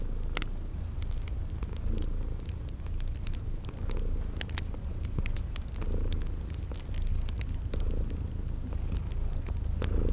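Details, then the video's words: Sleeping cats purring by a fireplace in a spring garden setting: a deep continuous rumble that swells and fades roughly every two seconds, mixed with dense fire crackling and high repeated cricket chirps. "Relax with Cute Sleeping Purring Kitties by a Crackling Fireplace"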